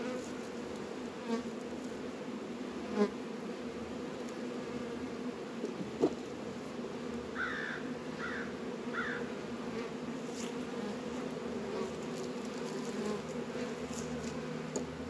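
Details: Honey bees active around Langstroth and Warré hives on a 72°F winter day in February, northern Kentucky. A continuous low buzzing drone is broken by a short run of three brief chirps midway and occasional light taps.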